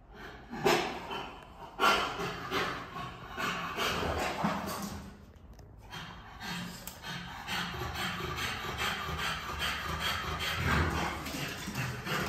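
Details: French Bulldog named Tobi giving rough, breathy snorts and pants in quick, irregular bursts, with a few louder huffs near the start and a steady faint high whine in the background throughout.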